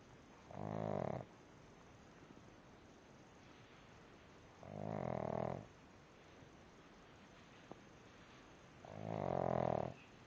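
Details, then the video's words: Pug snoring in deep sleep indoors, three rasping, throaty snores each lasting under a second, spaced roughly four seconds apart, with near silence between them and a faint click. "Pug snoring"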